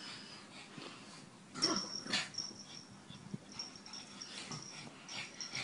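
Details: A pug, loud snorting and wheezing breaths in bursts around the middle, with thin high whistling tones running through the rest.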